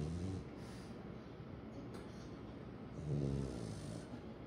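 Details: French Bulldog Kome dozing with its head on an unusual makeshift pillow: low, rumbling snores in steady breaths, swelling louder near the end, with no other clear sounds.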